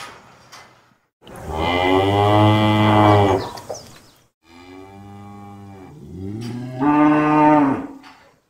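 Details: Three moos from a cow in succession: a long, loud, deep low of about two seconds, a quieter steady moo, then a shorter moo that rises in strength and fades away.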